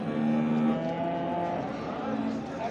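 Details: Water buffalo at a cattle market in Çorum, Turkey, recorded 3 June 2024. A long, steady, low moo carries through most of the clip above a constant crowd and market murmur.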